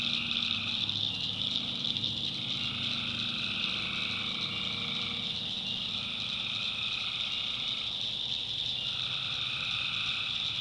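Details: Nighttime tree frog chorus from the backwoods of North Carolina, with alternating trills of about two seconds, one pitched lower and one higher, taking turns over a steady shrill drone and faint low rumble.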